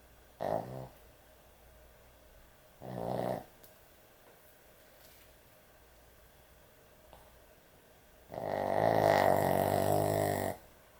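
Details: Loud snorer among pet dogs, asleep at bedtime indoors; two short raspy snores followed by a long, deep, rumbling snore of about two seconds, louder than the others.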